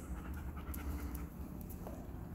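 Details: A 1.5-year-old Golden Retriever pants steadily during obedience training in Atlanta, Georgia, as a trainer gives heel and place commands. The breathing is soft, low and rhythmic over a dull background hum.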